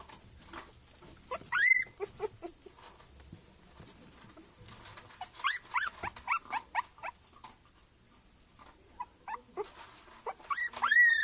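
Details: Black Miniature Schnauzer puppies, a three-week-old litter, giving high rising squeaky whimpers and yelps in bursts, a loud cluster near the start, a run of repeated squeals midway and more at the end, indoors.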